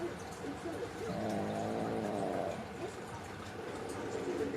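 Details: Sound asleep, the pug Mame lets out one long, gurgling snore of roughly two seconds, a rattling stacked drone rising and fading against low room noise.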